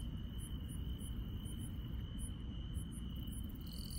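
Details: Grass insects calling on a countryside night: an even, continuous high trill overlaid with regularly spaced very high chirps, plus a short lower buzz near the end, all over a steady low rumble.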